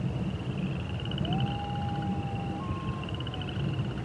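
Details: Coyote howling at night on a prairie: a long, smooth, steady tone that slides up and holds, then a slightly higher second drawn-out note. Frogs and toads trill continuously in the background over a low, constant rumble.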